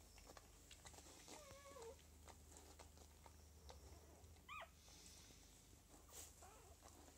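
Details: Lagotto Romagnolo puppies from a home breeder's second litter, the "N" litter, dated 06.01.2015: two brief high whines, one wavering and one short rising squeal, faint against steady low hum and hiss.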